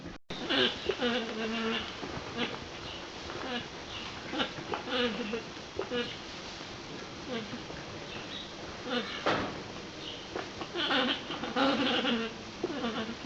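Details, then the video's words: Female alpacas giving a run of short, nasal, humming whines, several overlapping and repeated every second or so, some rising and falling in pitch, with brief buzzy bursts between them. "Funny Alpaca Noises"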